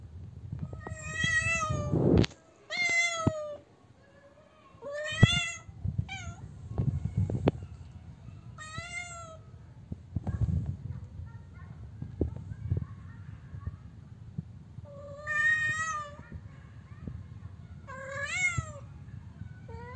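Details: Domestic cat calling for a mate it cannot find: a series of loud, drawn-out harmonic meows, some rising and some wavering, repeated every few seconds, with thumps and rustling between calls.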